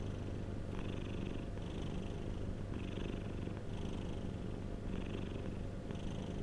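A domestic cat purrs steadily, a low rumbling vibration that pulses with each breath in and out.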